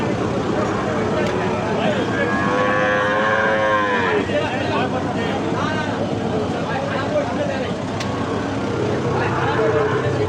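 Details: Young Gir-breed bull calf at Ambari Haat, a livestock market held Fridays and Mondays: one clear, rich moo, rising then falling, lasting about two seconds, amid chattering buyers, passing vehicles and general market din.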